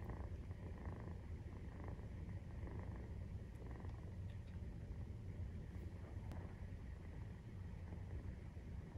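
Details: Nursing-time purr from a Maine Coon cat, kittens 43 days old: a dense, even low rumble pulses without pause, with a few small clicks and faint rustling on top.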